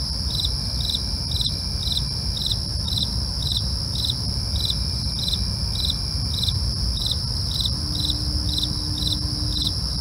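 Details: Crickets at night, a steady series of short high pulsed chirps repeated several times a second, with a continuous high ringing tone above and a low broadband rumble underneath throughout.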